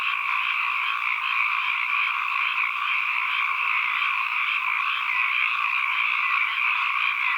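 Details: Ambient frog chorus: countless callers overlap into an even, continuous rattling drone, mid-high in pitch and steady in loudness throughout, with nothing else audible.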